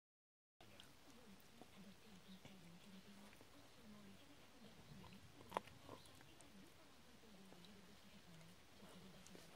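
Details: A Barbet dog gnawing a bone gives low, rumbling growls in uneven bursts over gnawing and chewing noises, with one sharp click partway through.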